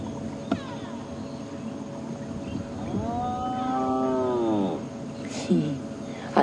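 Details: A spotted hyena on a sunrise safari drive, 17 January 2016, gives a low, drawn-out, cow-like moan: a contact call that sounds quiet to people but carries a couple of kilometres to other hyenas.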